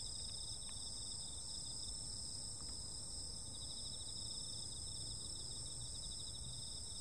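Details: Insect voices of a summer night form a dense, pulsing high trill alongside steadier piercing tones, with occasional faint ticks and a muffled low-frequency rumble beneath.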